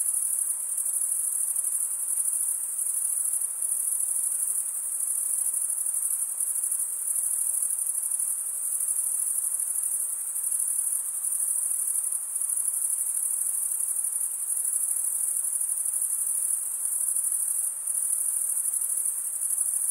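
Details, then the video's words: Crickets chirp nonstop, males stridulating with their wings, forming a seamless thin high-frequency buzzing trill. Brief small dips in volume occur at times, and nothing else is heard. "Most relaxing cricket sound for 8 hours"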